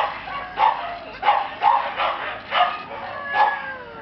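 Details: Red male Shiba Inu puppy at a breeder; short high yapping barks in irregular bursts, about six over four seconds, with a thin whine near the end.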